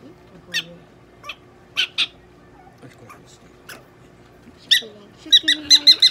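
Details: Pet prairie dog named Donguri handled at a veterinary clinic in Nagoya during treatment with eye drops, fluids and washing; sharp, bright squeaky chirps, single then in a rapid burst of five, with a person talking softly in between.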